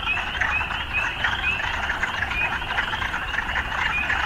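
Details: Overlapping frog croaks in an urban setting form a dense, rasping chorus, with a few short rising notes standing out over a low background rumble.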